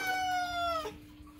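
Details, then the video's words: Pet cat Moo calls insistently for food with one long, drawn-out meow lasting under a second, a strong steady tone that sinks slightly before cutting off, with a low indoor hum underneath. "moo cat loudly demands: "NOM! NOM! NOM!""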